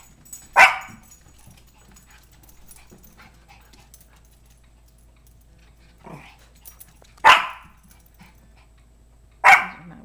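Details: Pet dogs, a four-month-old Mini Bull named Sparkles and a fifteen-month-old Toy Fox Terrier named Princess, indoors; three single sharp barks spaced several seconds apart, with a soft faint yip between and low room hum.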